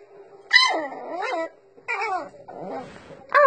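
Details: French Bulldog puppies 'talking' to their owners with squeals and odd little vocal noises. Several short, whiny yelps that rise and fall in pitch come in bursts, with brief pauses between them and a sharp final yip.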